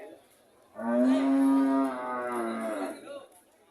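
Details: Single cow moo, a sustained harmonic call of about two and a half seconds, loud at first and tapering off.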